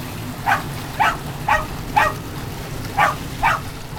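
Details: Puggle named Charlie noisily barking as the family's chocolate dogs leap off a dock to retrieve; six clipped, bright barks spaced about half a second apart, with a soft hiss underneath.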